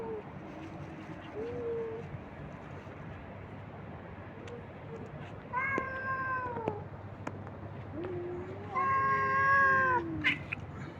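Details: Abandoned street cats being fed by a man; soft short mews at first, then two loud drawn-out wailing meows with rich harmonics, the last the loudest, amid light clicks and low hum.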